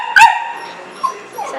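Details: Pet dog kept at home, wanting to go out and play while it rains; one sharp, high yelp followed by a soft trailing whine.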